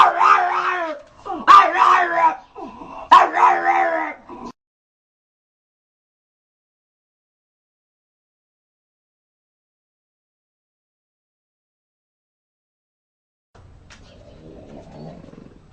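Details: Dog begging to come home, voicing comical growls: three short, quavering howl-like bursts packed into the first four seconds, then a long silence and faint low rumbling noise near the end.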